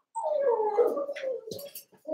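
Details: Young Cavalier King Charles Spaniel puppies, eight kept together in a pen, wrestling and playing; one long, drawn-out whining howl slides downward and wavers for nearly two seconds, followed by short scuffling noises.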